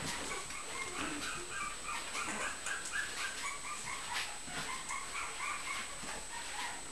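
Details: Puppy named Josie play wrestling, giving a rapid run of short, tonal whines and yelps, roughly four per second and somewhat irregular, over scuffling and rustling noise with a steady high-pitched whine throughout.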